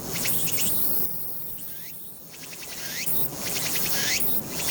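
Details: Walker's cicada singing on 22 August 2021, filmed with a Nikon Z7: high, raspy pulsed phrases with brief sweeping notes, broken by a quieter gap, over a steady insect hiss.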